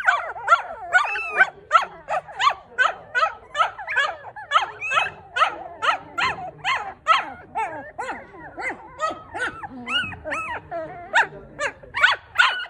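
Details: Newborn Maltipoo puppies from a litter of four, squealing in rapid, overlapping harmonic cries with wavering pitch, a little over two per second, several pups calling at once.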